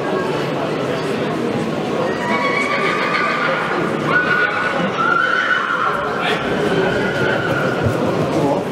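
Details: Faint, thin whinny lines drift through the middle from Monar, a 2020-born PKZ (Polish cold-blooded) stallion by Gabor out of Mona, largely masked by steady human speech and yard noise.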